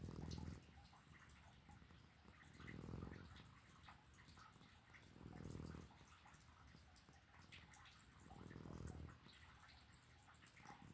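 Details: Domestic cat snoring in its sleep, soft low buzzy snores coming about every two and a half to three seconds in a steady rhythm, quiet indoor background with small ticking noises.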